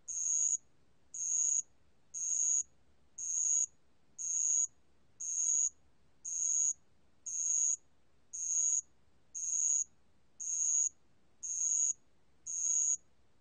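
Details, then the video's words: Shrill metallic trills of a bell cricket, 2020 recording, twelve short evenly timed bursts at about one per second, clear and loud against near silence. "알락방울벌레, 여러번 듣기, 곤충소리"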